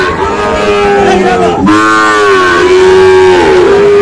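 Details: Sahiwal bull calves at a cattle market on 5 October, bought by farmers from various regions; a falling moo, then a long, steady, harmonic-rich moo lasting over two seconds, with faint crowd noise behind.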